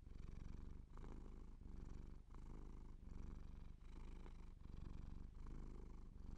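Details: Close, continuous purr from a Siamese cat, low and rough, rising and falling in even breath cycles about every 0.7 seconds, with no other sounds.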